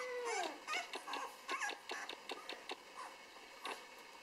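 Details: Six-day-old Rhodesian Ridgeback puppies in a litter giving thin, squeaky whimpers and whines, some sliding upward, in a quick irregular series of short high cries, without background noise.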